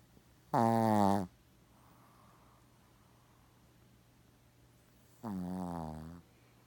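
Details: Shih Tzu Gaku fast asleep, snoring loudly and unbothered by the approaching camera. Two short, rasping, vibrating snores sound about four and a half seconds apart; the second is softer. A faint hum fills the gap between them.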